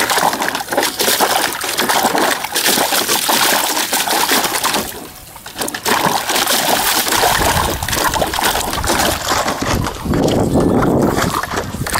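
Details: Continuous splashing and sloshing water fills the recording, with a brief quieter patch near the middle and no animal voice standing out.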